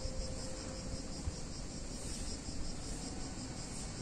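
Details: Cicadas on a hot summer day in a picturesque Italian town: a steady, unbroken high buzzing drone holds level for the whole stretch, over a low, even rumble of background noise.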